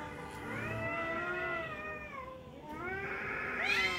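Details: Two angry tomcats fighting: drawn-out harmonic yowls that waver and bend, one long rising and falling wail, then a second voice climbing sharply at the end.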